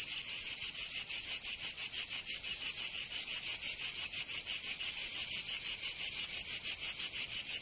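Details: Summer cicada chorus in Provence, southern France, a dense high rasping drone throbbing in quick regular pulses, roughly three each second, continuous throughout.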